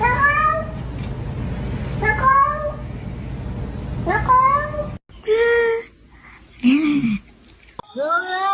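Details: Domestic cat from a collection of funny cat calls; three brief upward-sweeping meows about two seconds apart, then after a cut a few louder, more strained meows and a low moaning note, with background hum in the first part.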